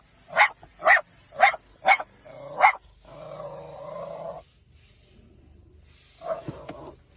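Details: Five crisp dog barks roughly every half second, then a sustained, tonal whining howl lasting over a second. After a quiet stretch, another bark and a yip end the clip.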